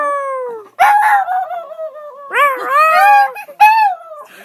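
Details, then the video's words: Singing dog met on a train, howling when asked to sing: long falling howls, wavering and breaking into rising and falling yodel-like bends, loud and harmonic, with people's voices overlapping. "Singing dog...."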